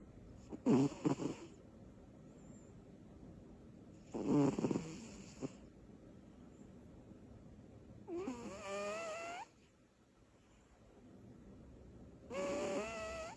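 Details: Sleeping female cat named Butters, worn out from her energy bursts, gives loud rattling snores roughly every four seconds; later breaths turn into a wavering, whistly nasal tone in a quiet indoor room.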